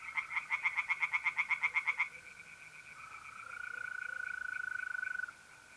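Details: Tree frogs singing at a pond on a mid-April night in North-East Italy: a fast series of harsh, evenly spaced croaks for two seconds, then a steady high trill from mole crickets continues alone.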